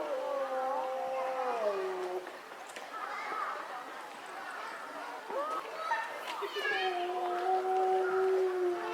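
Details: Captive timber wolves howling at Higashiyama Zoo. Long, steady, tonal howls slide downward at the end: one opens the recording and overlapping voices return near the close. People chatter in between.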